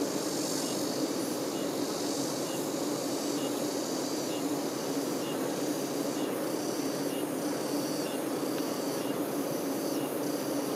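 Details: Constant hum of worker honey bees waiting on the queen bee, a low even buzz with brighter hiss and intermittent high ticks toward the end.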